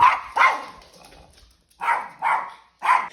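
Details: Female dog barking at a trainer, protecting her owners and territory; she barks constantly when home alone, at children and guests. Five sharp, harsh barks in two clusters, a pause of about a second between them, no other sounds.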